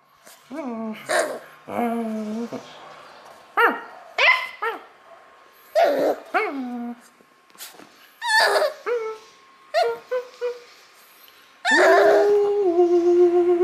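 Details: Beagle puppy reacting joyfully to play calls with a rapid, uneven string of yips, barks and short howls with sliding harmonics, ending in a longer sustained howl-like bay; a faint voice may be mixed in.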